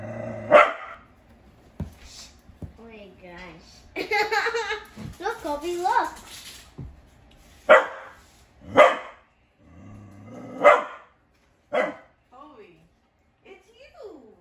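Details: Female dog barking at her own reflection; sharp single barks come at irregular intervals, a couple early and a run of four toward the end, with a person talking in between.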